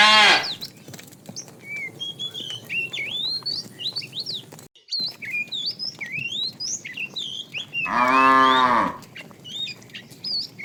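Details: Herd of tame cows heading to fresh pasture; a short bellow opens the recording and a louder, rising-then-falling moo comes near the end, with busy birdsong whistles filling the gaps.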